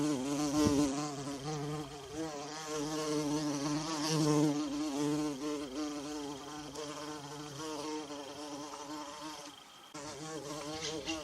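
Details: Wild bumblebee buzzing in woodland with wild violas: a rich low hum bending slightly in pitch, loud at the start and around four seconds, fading briefly near the end before returning.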